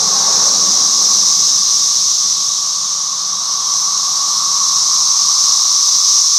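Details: Many cicadas drone together in a steady, high-pitched, hissing wall of sound as they fly and feed on a red maple tree in a house yard in Halifax, Virginia, 2024; periodical cicadas, possibly a 17-year brood.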